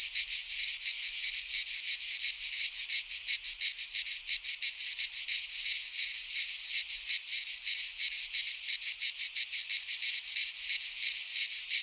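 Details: Greek pine forest cicadas in midsummer, their high rasping drone beating in fast, fairly even pulses, nearly three per second, filling the whole recording.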